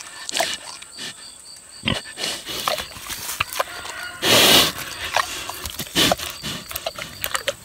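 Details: A 6-year-old boar pig eats juicy tomatoes with loud, wet smacking and crunching, the sharp bursts coming unevenly about every second; one longer, louder crunch stands out among steady chewing clicks.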